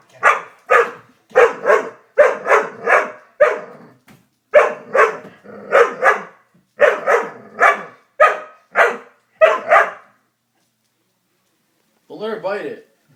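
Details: Doberman frightened by a prank, barking in rapid bursts of two or three sharp barks for about ten seconds, then a pause and a short whining, wavering sound at the end.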